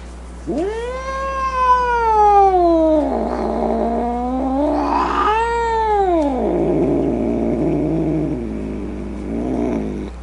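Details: Grumpy domestic cat yowling in long wavering moans, the first rising and arching, a second sliding downward into a rough snarling growl, with a short strained cry near the end over a steady low hum.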